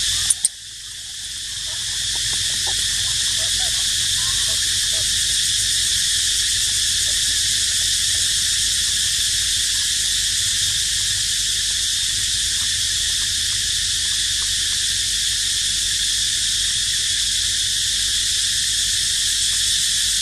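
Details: A cicada's loud, steady, high-pitched buzzing drone carries on without a break, in an archaeological park where baby monkeys live.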